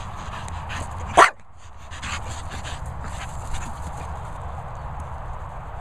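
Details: Two Staffordshire Bull Terriers, Esme and Leo, whizzing about; one short, sharp bark bursts out a little over a second in, then only a steady low rumble of wind-like noise with faint rustling continues.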